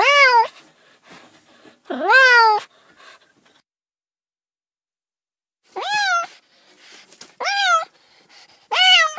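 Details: Meowing cats: five loud, harmonic meows, two early and three later after a silent pause, each rising then dropping, with light background noise between them.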